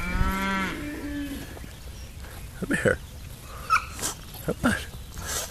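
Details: Miniature Hereford cattle on a farm giving a short deep moo with a stacked harmonic, rising tone in the first second, followed by quieter sounds, rustling and a man calling the animal to come.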